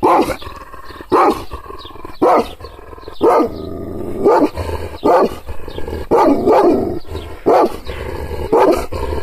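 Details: Angry Kangal, an Anatolian shepherd dog, reacting to teasing hand gestures with a steady run of about nine gruff, deep barks, roughly one per second, with growls between some.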